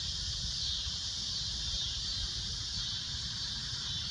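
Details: Steady, piercing cicada drone at sunset, a dense high shrill tone held without pause, with faint low rumble in the background.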